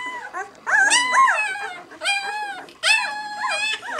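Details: White German Shepherd puppies, six days old, from the B litter "of White Night", giving high, rising-and-falling squeals in three loud bursts, with softer whines between them.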